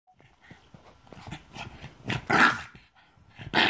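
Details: A Boston Terrier that doesn't like beer gives rough, grumbling growls that build into short, harsh barks.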